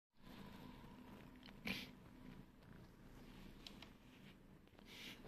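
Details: Lemon, a domestic cat, walks across a person's shoulders indoors, giving a steady low purr throughout with soft rustling and one brief sharp noise near the start.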